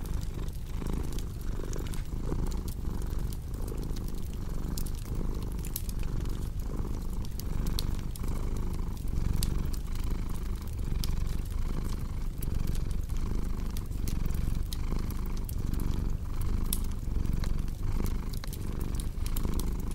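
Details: Domestic cat purring steadily against a cozy crackling fireplace: a deep, continuous rumble pulsing in a slow rhythm of roughly two cycles per second, with sharp scattered pops and snaps of burning wood throughout.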